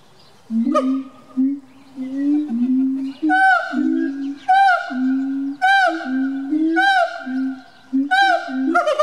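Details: A captive siamang (Symphalangus syndactylus) at a small zoo in Bad Pyrmont, Germany, in November 2018, one of two kept there, sings with low sustained hoots, then loud ringing calls repeated roughly every second.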